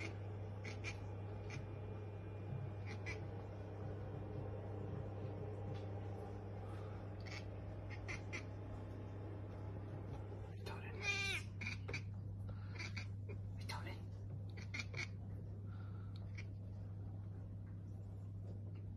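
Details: Domestic cat chattering when spotting a bird or insect, scattered clicky bursts growing into a rapid stuttering run midway, over a constant low hum.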